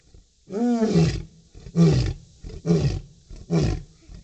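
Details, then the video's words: A captive lion roars to a female, a deep, powerful roar followed by a series of shorter grunting roars. "Lion roar"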